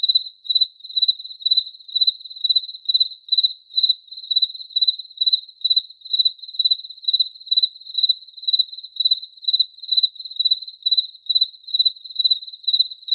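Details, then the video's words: A single cricket chirps on and on in high, buzzy pulsed bursts, each about half a second apart, forming a regular, unbroken series of roughly twenty-seven chirps. "Cricket Chirping Sound Effect"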